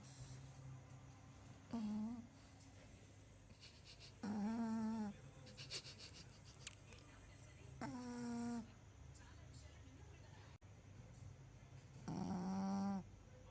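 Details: Shih Tzu snoring: four drawn-out, nasal, humming snores at uneven gaps of roughly three to four seconds, each holding a steady pitch, with faint rustling and clicks and a low background hum between breaths.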